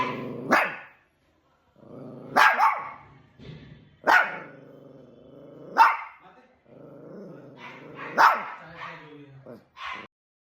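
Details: Two pet dogs fighting, with explosive barks every one to two seconds linked by steady, rumbling growls and snarls throughout.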